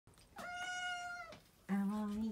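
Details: American Shorthair mix cat indoors greeting with a cute meow: one drawn-out, steady, clearly tonal mew lasting about a second, followed by a woman speaking softly in Japanese.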